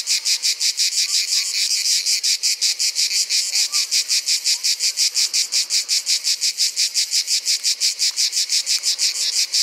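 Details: Provençal Orni cicada cymbalising in a steady train of loud, scratchy pulses, close to three per second, regular and unchanging from start to end. Some faint distant chirps sound underneath.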